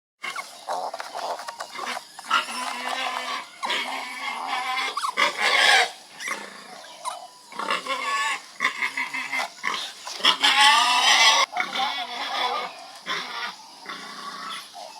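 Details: Pig giving a rapid run of shrill, harmonic squeals and squawks that overlap and break off in bursts, with loud, ragged peaks midway and near the end, over a steady background hiss.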